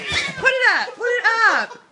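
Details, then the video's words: Indoor house cat meowing while going after a cat-shaped balloon that a man moves around: two drawn-out, arching meows, each rising then falling, about half a second apart, in a small room. "Real cat attacks balloon cat"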